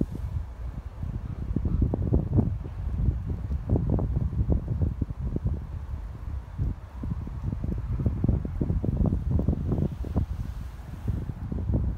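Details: Wind buffeting the microphone with low rumbling gusts and rustling outdoors at Glasgow Green, Scotland; no animal calls are heard.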